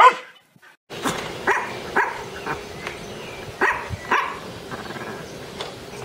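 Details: Dog giving a series of short, clipped barks spaced about half a second apart, set against steady broadband background noise after a brief silence at the start.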